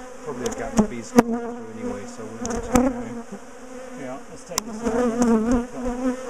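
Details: Defensive bee colony disturbed while its top bar hive is taken apart and split; loud buzzing drone with wavering pitch, punctuated by several hard knocks and scraping noises.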